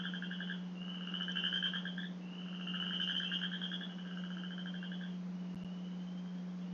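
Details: A male Western chorus frog in Michigan gives a spring breeding call to mates: quiet, musical, rising, rapidly pulsed trills of one to two seconds, like a fingernail drawn along a fine-tooth comb.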